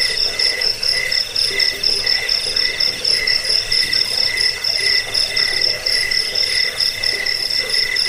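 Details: Layered cricket chirps meant as a lullaby and a tutor sound for songbirds. High pulsed trills and lower chirps about twice a second overlap continuously, forming an even, shrill chorus.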